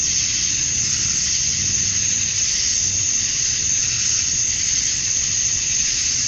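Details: Dusk chorus of male cicadas in Georgia, USA, on a summer night, chirping to draw females; a continuous piercing buzz that rises and falls slightly in strength, with faint low rumbling underneath.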